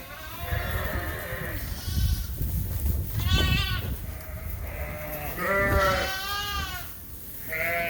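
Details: Many Suffolk lambs, escaped and mixed together in a barn at Ewetopia Farms, call in a chorus of overlapping bleats: several short quavering cries, some high and strained, others lower, with thumps and barn noise beneath.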